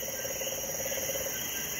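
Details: A Puerto Rican crested toad gives a loud, steady, pulsing mid-pitched trill at 9 pm in Puerto Rico during a storm that has brought rain since 5 am; it sings all night in heavy rain, loud though the toad is small; Puerto Rican crested toad.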